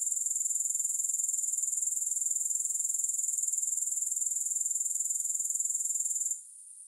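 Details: Steady insect chorus from grasshoppers, recorded with no music for relaxation: a continuous shrill pulsing at roughly four beats per second that cuts off abruptly near the end, leaving faint residual buzz.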